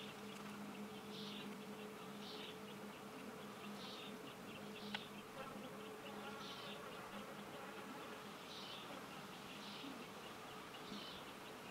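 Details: Leafcutter bees building nest chambers in old holes of a brick wall; a low, humming buzz runs unbroken through the whole recording, with faint high chirps recurring about every second in the background.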